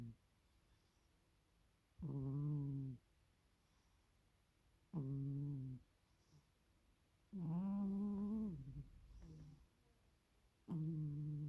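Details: Sleeping cat snoring: four low, droning, harmonic snores, each about a second long, coming roughly every three seconds with silent pauses between, in a quiet indoor setting.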